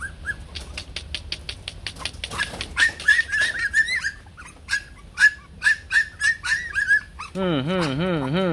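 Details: Shaggy Bac Ha dog from a Vietnamese kennel conserving native breeds: a run of quick, high-pitched yelps and whiny cries, about three per second, ending in a loud wavering warble over the last second.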